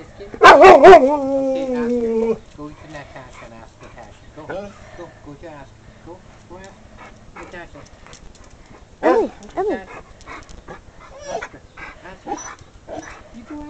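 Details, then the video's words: Emily, a female husky/wolf mix pet dog, the runt and mother of seven pups, known for talking: a loud, wavering, howl-like vocal burst of about two seconds, followed by quieter mumbled sounds and a short second yowl. "Emily the talking dog/wolf"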